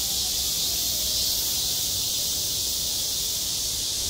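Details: Cicadas droning on a school playground in midsummer, a seamless high sizzling hum holding at even loudness for the whole few seconds, with nothing else standing out.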